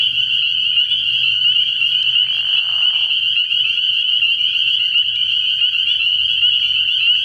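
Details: Many spring peepers at a frog pond at night early in the year, their shrill peeps merging into a constant high chorus, with a short lower burst early on and faint low hum beneath.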